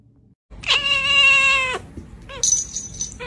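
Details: Domestic cat from a compilation of funny cats gives one loud, drawn-out, steady meow lasting about a second. A brief pause follows, then a higher, thinner squeaky call.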